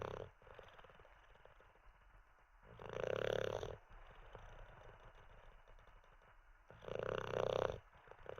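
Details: Olde English Bulldogge dozing and snoring: two long, hoarse, rattling snore bursts roughly four seconds apart, each swelling then cutting off, with soft hissing breaths between them.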